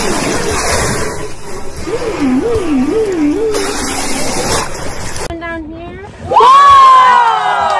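A whale gives low tonal calls that waver up and down like a slow siren, followed by a falling moan. A louder, rich upsweeping cry with strong overtones closes the sequence over a steady wash of background noise.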